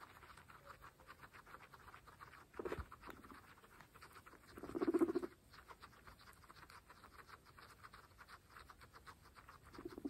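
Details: Amid continuous fast chewing and grass-crunching clicks, pregnant female guinea pigs give one clear low pulsed chut midway, with fainter brief calls before and at the end.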